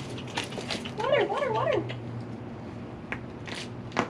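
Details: Feral cats at a closed-down building on Mare Island Naval Shipyard, Vallejo, California, crying for food while being fed; a short wavering, rising-and-falling meow repeated several times, with a person talking and rustling around it.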